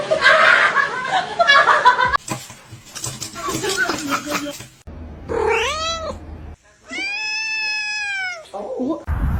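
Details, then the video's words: Loud voices and laughter give way to a kitten's meows: a short arching meow, then a long, drawn-out meow held for over a second, with background talk. "Kitten meowing"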